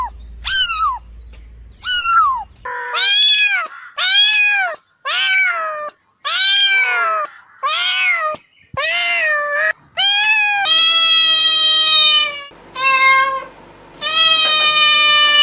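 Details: Domestic cat meowing over and over, each call an arched, slurred mew, rising then falling, about one a second. Later calls are longer and more drawn out, with brief silent gaps between cuts.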